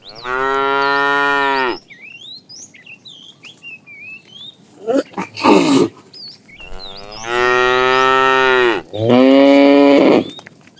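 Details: A herd of cattle with calves, driven out in the morning and wandering in search of food, gives long, drawn-out moos, some rising and tense, with small birds chirping behind them.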